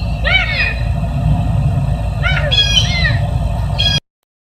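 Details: A caracal (Caracal caracal) at Big Cat Rescue sanctuary in Tampa, Florida, USA gives short, chirping trills with arching harmonic notes over a steady low rumble.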